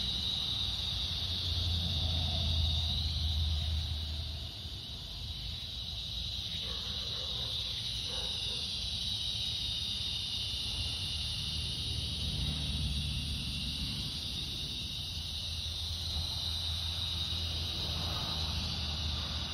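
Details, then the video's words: Cicadas droning on a summer evening, August 4th, during a walk at fading light: a steady, shimmering high buzz with slow swells in intensity that runs throughout, over a low rumble of background noise. "Evening Cicada Song Stroll"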